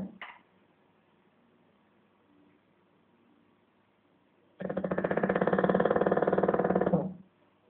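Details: Rudy, a pet bulldog, snoring during an afternoon nap: after a long quiet stretch comes one loud, rough, fluttering snore of about two and a half seconds with a rapid buzzing vibration, then silence again.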